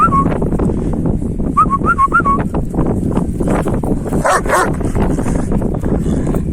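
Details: Male Kangal dogs after a female dog whimper in short wavy pitched whines at the opening and again in a rapid burst of four or five, then a brief harsh noise follows amid steady rural background rumble.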